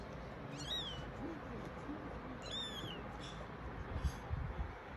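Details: Himalayan-Ragdoll kitten, its mother's first kitten; two thin, high, arched meows about two seconds apart, then a fainter third, with low rustling and soft thumps toward the end.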